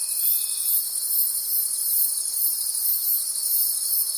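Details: Nighttime forest crickets produce a continuous high shimmering chorus, beating in regular pulses roughly twice per second, with a faint steady tone only in the first moment.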